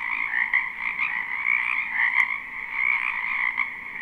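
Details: Massed frogs calling in a spring wetland near a house, recorded live: a constant high rattling drone of many overlapping croaks, with brief brighter bursts and one sharp click standing out.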